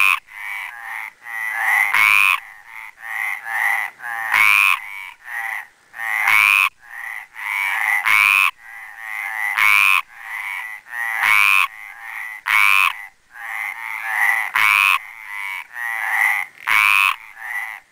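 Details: Mediterranean tree frog male at a pond in Les Preses, Garrotxa, giving strong grating croaks. They come in dense repeated bursts, every second or so, with longer rattling notes at intervals. The recording is clean, with no background noise.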